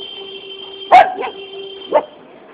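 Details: A puppy asking for a biscuit gives two short sharp yips, about one second apart, over a steady background hum.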